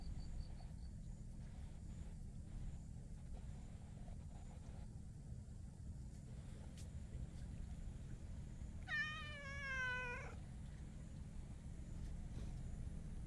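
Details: Black-and-white hachiware stray cat, talkative and rubbing against someone, utters one drawn-out meow of over a second with a wavering, slightly rising pitch, amid a steady low rumble of traffic-like background noise.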